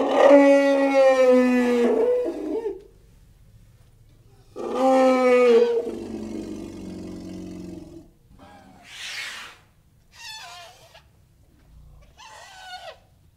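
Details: Elephants call: two long, harmonic, roaring blasts about four seconds apart, then three short, higher, squealing calls in quick succession near the end.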